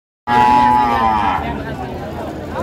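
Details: Cattle at Ambari haat, a traditional livestock market in Parbatipur, Dinajpur, Bangladesh, on Friday 23 May 2025, with cows sold ahead of Qurbani; a loud, sustained, tonal moo lasting about a second, dipping slightly in pitch, over crowd chatter.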